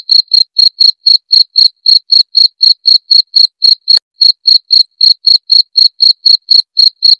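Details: Clear, piercing cricket chirps, suggested for scaring rats or as a tutor for songbirds; evenly spaced short trilled notes about four each second, a brief gap near four seconds.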